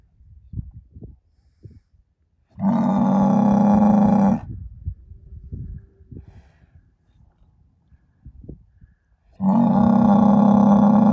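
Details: Angus bull kept as a herd sire, born spring 2018, bellowing twice: deep, drawn-out moos lasting roughly two seconds each, separated by a quiet stretch of scattered knocks and shuffling.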